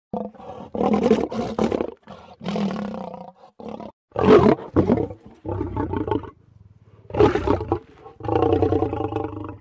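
A lion gives deep, rasping growls in short, throaty bursts during mating.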